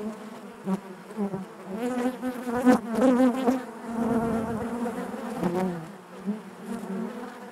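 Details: Many honey bees humming within the hive, a rich buzzy drone with shifting overtones and frequent brief surges as single bees fly near, louder in the middle stretch.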